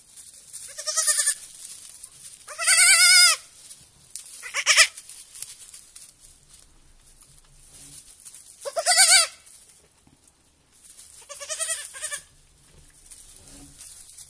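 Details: Young goat kids at a petting farm on their first evening there, bleating repeatedly: five quavering, tremulous bleats spaced a few seconds apart, some loud and drawn out, others shorter and softer, over quiet background rustle.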